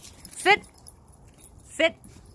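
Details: Eleven-week-old puppies out in the snow give two short, high, falling yelps about a second apart while a person nearby tells them to sit.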